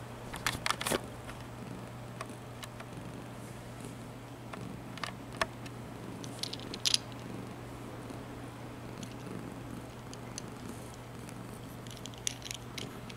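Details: Janis, a very old cat, tries out a new scratcher; a steady low purr runs throughout, with scattered sharp scratching clicks and taps over it.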